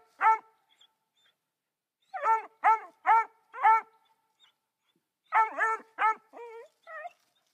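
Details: Three-month-old female Black and Tan Coonhound barking at a raccoon in a tree, the first she had ever seen: bursts of harmonic, yelping barks in clusters of three to four, one rising whine at the end.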